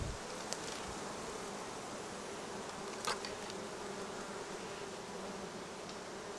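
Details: Many honey bees foraging on black locust and other plants beside the Cernavodă–Medgidia motorway in Romania produce a steady, low droning hum that holds its pitch throughout.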